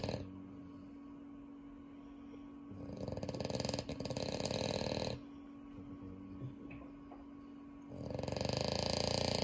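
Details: Sleeping French Bulldog at home, from a household whose dogs include Unio, snores in long, rough, rasping bursts of two to three seconds each. Three arrive in a row, separated by quiet pauses, over a constant low hum.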